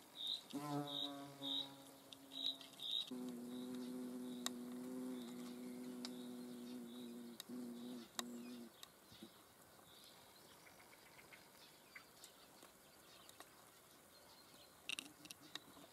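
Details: Hornet filmed in the Eifel, its low droning buzz with stacked harmonics holding steady for about eight seconds before fading, while short high chirps repeat in the background and small clicks follow.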